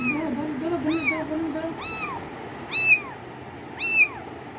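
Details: Cats giving clear, rising-then-falling meows about once a second, five in a row, with a low murmuring voice under the first two.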